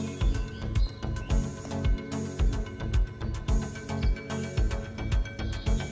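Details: Rhythmic background music with a steady bass beat fills the recording, with no animal voices.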